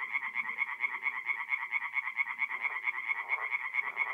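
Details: Mid-April night at a north-east Italian forest pond, tree frogs calling in a dense chorus of rhythmic, nasal pulsed croaks, roughly two per second, with a fainter lower murmur of further frogs beneath.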